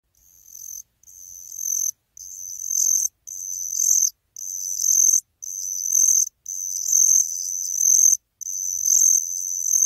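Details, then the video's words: Calling song of Turanogryllus eous, a cricket: high, shimmering trills in bursts about a second long, each swelling in loudness, separated by short gaps, repeated about once per second with no other sounds. "각시귀뚜라미의 울음소리 Calling song of Turanogryllus eous"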